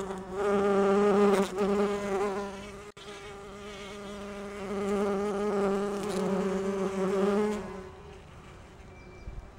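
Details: Bumblebee resembling a small or black-tailed bumblebee gathering pollen on rhododendron flowers; steady droning wing hum with strong low harmonics, loudest early, fading near the end as the bee leaves.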